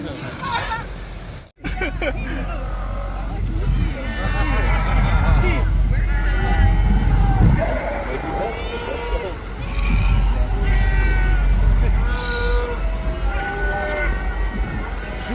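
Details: Hundreds of sea lions seen from a boat off Lima, Peru, on a foggy, deep, dark sea with heavy waves, some climbing a cliff: overlapping howling, squawking, wavering honking cries over a low engine rumble.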